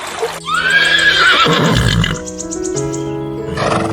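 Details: Horse whinnying: a high, shaky neigh that wavers and falls over about a second and a half, with light music playing steadily underneath and continuing after the call.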